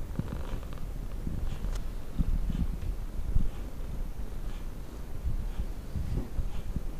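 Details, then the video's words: Tonkinese cats Lu and Barney, a talkative domestic breed crossed from Siamese and Burmese, purring with a low, steady rumbling throb for several seconds. Faint room noise sits beneath it. "Cute talkative Tonkinese cats"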